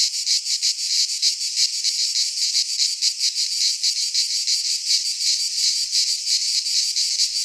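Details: Greek pine forest cicadas in high summer, their grating, high-pitched buzz throbbing in quick uneven pulses, the wall of sound constant from start to finish.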